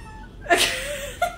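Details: Siamese kitten giving a short meow: a sharp breathy onset, then a thin sustained tone that wavers and trails off, closed by a brief second squeak; a person's voice is heard just before.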